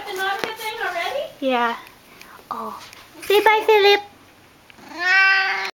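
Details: Siamese cat, indoors, loudly vocalising while excited as the owner comes home from work; several drawn-out harmonic meows, some rising and falling, alternating with a person talking to the cat.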